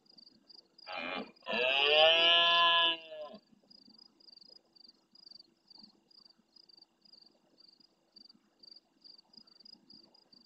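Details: Big male red deer near a live camera in the Doñana marsh, Almonte, Spain, roaring at nightfall as rival stags call from afar: a short grunt, then a sustained, harmonic roar of roughly two seconds. Regular cricket pulses continue throughout.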